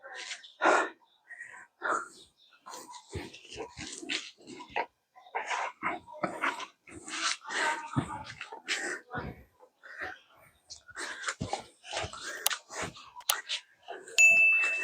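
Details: Cane Corso puppy Turin during bite training indoors, tugging on a soft cotton cloth; short rough growls and huffing breaths come in uneven bursts, with a man's voice speaking Filipino now and then.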